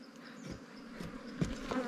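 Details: Wild ground-nesting bees at a nest dug out during a honey hunt: a steady low droning hum holds throughout, with soft knocks and rustles from digging, louder at the end.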